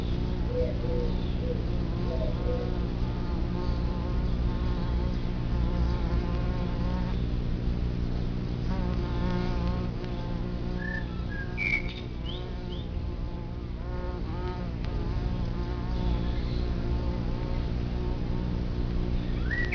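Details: Bumblebees swarming around their nest in the ground, a social colony of 50 to 200 bees: a steady, dense, low droning hum with wavering overtones, many wingbeats overlapping, and a brief bird chirp near the middle.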